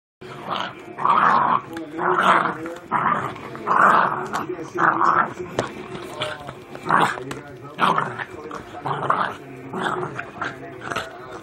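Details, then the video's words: Jack Russell Terrier growling in rough, noisy bursts roughly once a second, with a man's voice briefly heard. "danger the killer jack russell"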